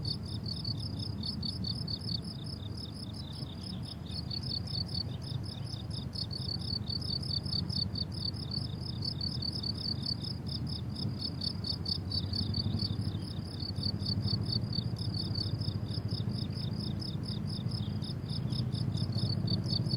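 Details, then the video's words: Crickets calling on a blooming summer meadow: dense, continuous high trilling chirps from several insects throughout, set against a fairly strong low rumble of wind or distant background noise. "Relaxing Cricket Sounds on a Summer Meadow"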